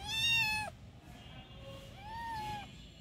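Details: Kitten around pumpkin feeding time gives two clear meows: a loud, high, harmonic-rich first cry, then a softer arched meow rising and falling, while a person asks about food.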